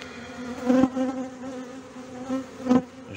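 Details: Honey bees in a hive in Brno, 2022, where an inserted queen cell was found chewed open and the bees had torn down their own earlier-hatched queen cell; a steady low buzzing tone with harmonics, swelling louder twice.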